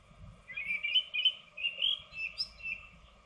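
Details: Two edible dormice in a nest box give high, squeaky twittering chirps in quick bursts about every half second, over a faint steady electrical hum from the webcam.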